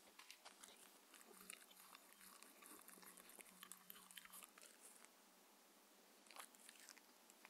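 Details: Six-year-old Shetland Sheepdog Mindy at her dinner of chicken and beef, raw food diet, in a quiet room; rapid sharp chewing clicks and crunches for about five seconds, then sparser bites with a few louder snaps near the end.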